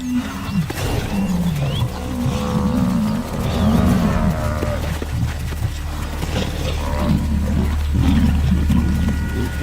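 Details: Lion from a pride giving low, rumbling growls in repeated rising-and-falling bursts, overlaid with sustained orchestral music tones throughout.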